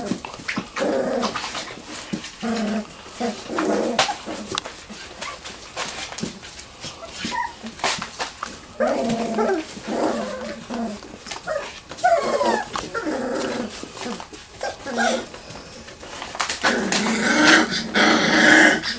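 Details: Wirehaired Pointing Griffon puppies, three weeks old, romping together in a garage whelping box at Bluestem Kennels; irregular little growls, whines and yelps about twice a second, with scuffling and a brief human voice.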